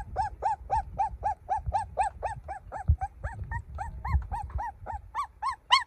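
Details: Crying golden puppy giving clear, evenly spaced high whimpers, nearly four a second, each a short rise-and-fall, some ending louder and sharper; soft thumps and low noise in the background.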